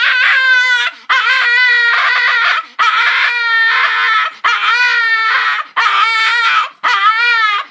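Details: Pet dog Sushi screaming while begging for popcorn, six long, loud, piercing wails, each held about a second with a wobbling pitch, separated by brief gasping pauses.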